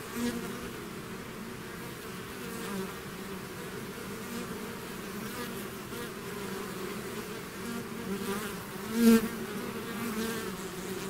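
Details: A swarm of bees leaving the hive makes a steady layered buzzing over several seconds. Individual bees occasionally fly close, and one near pass swells sharply toward the end.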